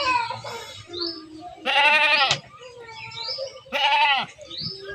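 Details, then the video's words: Herded goats bleat twice in quick, buzzy, tremulous bursts about two seconds apart, over quieter calls and scattered high chirps. "Menggiring Kambing Lucu, Domba, Hewan Ternak, Embek, Domba Lucu, Suara Hewan"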